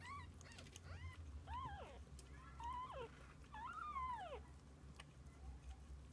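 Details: Mother cat and kittens spending the day together: a run of four to five arched, tonal meows, each rising then sliding downward, given in quick succession over a steady low background rumble.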